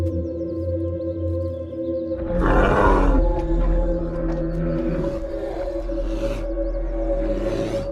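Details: A brown bear gives harsh, broadband roars and grunts in bursts over steady music as a male, the swamp king seeking a mate, confronts an intruder male on his turf in a dominance fight.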